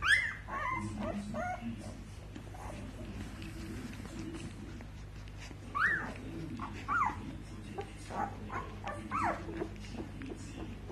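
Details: Australian Shepherd puppies from a litter of seven males born 4 March 2018 whine and squeal in short, high, upward-sliding cries and squeaky rising yelps, several voices overlapping over a low continuous hum.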